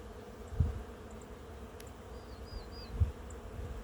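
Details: Thousands of honey bees swarming a blossoming plum tree give a low, steady droning hum. Two soft thumps and faint high bird chirps are also heard.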